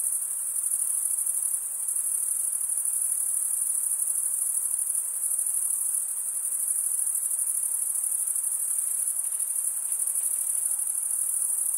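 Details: Constant chorus of crickets, males rubbing serrated wing veins together, forms an unbroken high, shrill trill with slight swells in loudness; nothing else audible beneath the insect drone.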